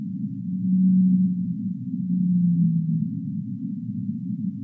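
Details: Whale sounds with two long, low moans, steady at first and then gliding gently lower, set against a continuous muffled underwater-like rumble.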